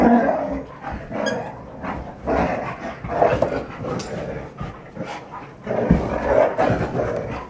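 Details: Three red Standard Poodles, Betty Jo, Jenny and Cayenne, romping together in rough play; gruff, noisy growling bursts and huffs come in uneven clusters, with several louder surges across the stretch.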